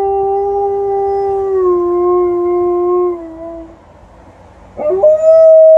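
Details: Liza, an Alaskan Malamute, howls outside in the evening after a walk, answering a passing ambulance: a long, steady, harmonic-rich tone that slides slightly lower and fades, then a short pause before a new howl begins.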